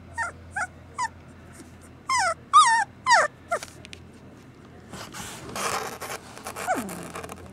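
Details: Several short, upward-bending whines from Samoyed puppies, then longer wavering cries, ending in a noisy scuffle and a falling whimper.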